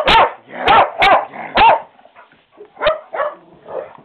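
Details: Dog barking in a rapid burst of four loud, harmonic barks within two seconds, followed by a few softer, shorter yelps and barks trailing off.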